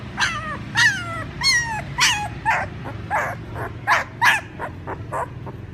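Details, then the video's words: Puppies calling their mother with high, shrill yelps and whimpers, some sliding downward, delivered in quick irregular bursts over a steady low rumbling background. "Sounds Puppies call their mother ||Puppy crying sound"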